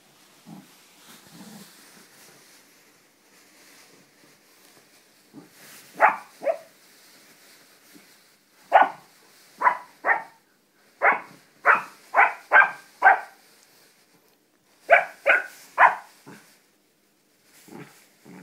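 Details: A 4-month-old English Springer Spaniel puppy romps on a bean bag, letting out short, sharp, high yappy barks, singly and in quick clusters of three to four, between soft snuffles and quiet stretches.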